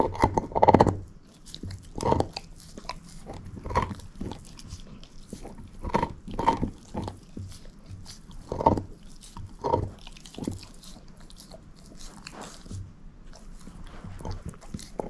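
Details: Moose, a shepherd mix dog, crunching a bone in rhythmic bursts roughly every one and a half to two seconds, each a firm grinding bite, quieter gnawing in between.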